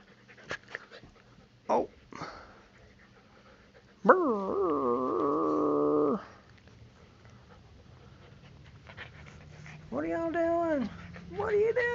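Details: Puppy at play indoors, giving a sustained two-second harmonic howling whine that dips and levels off, then a shorter wavering whine, a rising yelp at the end, and a few brief yips before.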